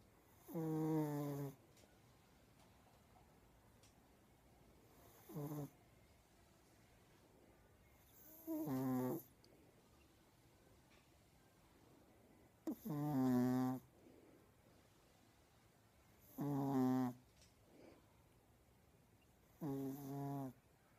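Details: Pure Chihuahua sleeping indoors and snoring steadily: six deep, rasping snores in about 21 seconds, each roughly a second long with a harmonic, throaty tone, separated by quiet pauses of three to four seconds.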